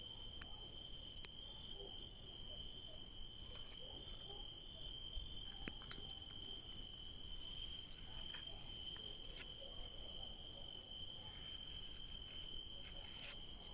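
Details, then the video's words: Crickets calling at night in a grape-growing area: a constant shrill trill with scattered faint clicks and ticks over a low, rumbling background. "Sounds of crickets at night"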